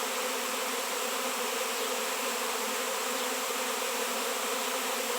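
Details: A honey bee swarm crowding a 7 lb raw shungite stone, bees not seen locally for years; continuous low droning buzz of a large mass of insects, unchanging and uninterrupted.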